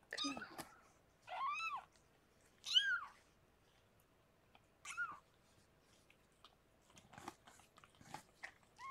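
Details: Rescued pregnant cat Harlequin giving birth to six kittens, indoors: four loud, high, arching mews, each rising then falling, spaced a second or two apart, followed by soft clicks and rustling.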